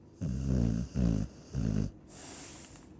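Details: Sleeping Chow Chow gives three loud, low, rattling snores in quick succession, each about half a second long and evenly spaced, followed by quieter breathing.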